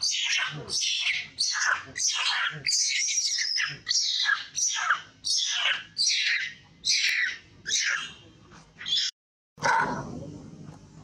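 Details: Teresa, an old female monkey called Grandma, crying loudly while Lukki forces mating on her: about a dozen harsh, high shrieking screams, each under a second, following in quick succession, then a short pause and a rough noisy burst.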